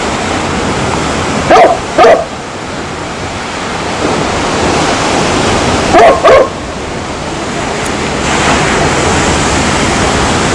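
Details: Pairs of quick dog barks, one double bark near two seconds and another near six, with a loud wash of surf-like hiss filling the gaps.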